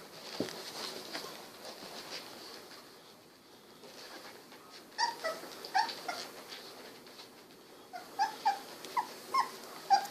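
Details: Golden Retriever puppies, 16 days old, eyes recently opened, wiggling and snuggling indoors; after a quiet stretch of shuffling, a run of short high whimpers and squeaky yips rises and falls, about one every half second near the end.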